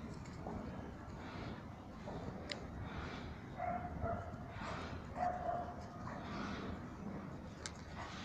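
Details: Saint Bernard playing football, giving short, rough barks at irregular intervals of one to two seconds over a steady low rumble of background noise.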